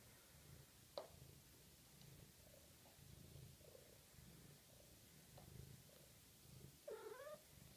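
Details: Six-week-old Maine Coon kitten from a litter, purring indoors in low rhythmic bursts that rise and fall with each breath, with a brief squeak near the start and a short rising meow close to the end.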